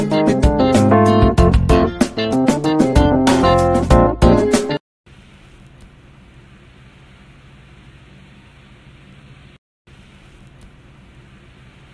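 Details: Plucked guitar music plays for about five seconds, then stops, leaving a quiet steady hiss broken by a brief silence.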